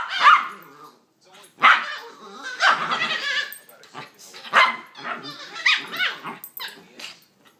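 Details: Two puppies play fighting yelp and squeal in high, chattering bursts that sound like monkeys.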